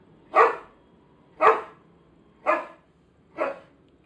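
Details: Irish Setter named Bina, doing its familiar dance before being fed alongside its companion Alemão: four sharp, loud barks spaced about one second apart, each a brief bright burst, over a quiet background.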